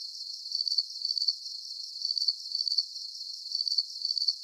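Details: Crickets chirping as a soothing sleep sound, their shrill pulsed bursts coming roughly twice per second in a steady, regular beat, alone without any other noise.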